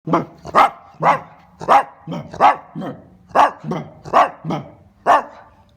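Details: Italian greyhound giving a rapid series of about eleven short, explosive snorting sneezes, roughly two per second, each a sharp broadband burst with a rough nasal tone, separated by brief quiet gaps.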